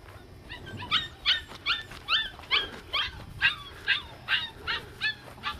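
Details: Seven-week-old red bi female Australian Shepherd puppy named Cedar, with littermates nearby: loud, sharp, repeated yelping, roughly two to three bright cries each second, evenly spaced and slightly downward-sliding.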